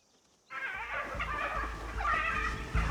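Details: Several hyenas in South Luangwa give harsh, wavering distress calls that break out suddenly and go on in overlapping squeals, heard while lions scatter wild dog pups.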